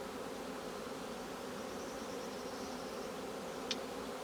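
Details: Honey bee colony buzzing at a hive being opened for honey harvest: a steady, unbroken low hum with one brief sharp click near the end.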